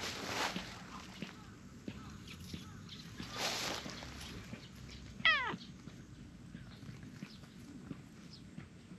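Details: An orange tabby cat with a short tail, wagging it while coming up to seek affection, gives one clear meow that slides downward in about half a second, among rustling and soft background noise.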